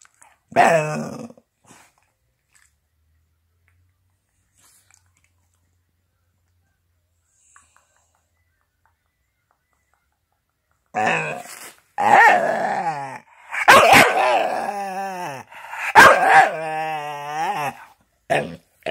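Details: Chatty Staffordshire bull terrier vocalising: one short yowl at the start, a long quiet stretch, then a run of loud, warbling, moaning grumbles with wavering, bending pitch that rise and fall repeatedly over the last eight seconds.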